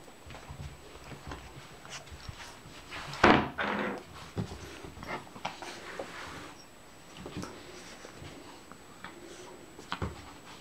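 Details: Louis, an 11-week-old Shih Tzu puppy, plays fiercely indoors while ragging his toy snake; a short burst of rough growling and snuffling near the middle, then scattered thumps and small noises, with a person talking softly to him.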